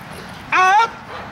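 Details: Hunter, a dog descended from Congo Vikar, practising the hold and bark and outs in protection training on May 19, 2020: one sharp, ringing bark lasting about a third of a second, tonal with a slight downward bend, against a quiet background.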